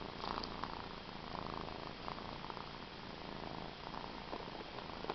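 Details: A pet cat named Cookie purring indoors: a soft, steady, continuous low rumble held for about five seconds, with faint scattered clicks over a hissy background.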